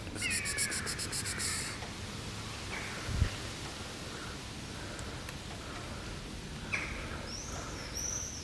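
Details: Coughing black pet cat: roughly eight rapid, rasping hacks packed into the opening second and a half, followed by quiet background noise, a thud, and scattered whistled bird calls toward the end.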